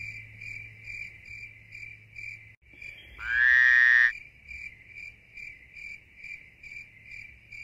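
A steady chorus of crickets fills the night with high, rapidly pulsed chirping that keeps an even rhythm. Partway through, a louder, rising tonal call cuts in for about a second, over a faint low hum.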